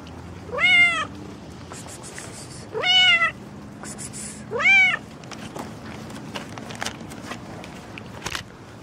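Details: Pregnant cat outdoors after morning rain, meowing three times, about two seconds apart: clear, rising-then-falling mews of under a second each, with soft clicks and faint outdoor background between calls.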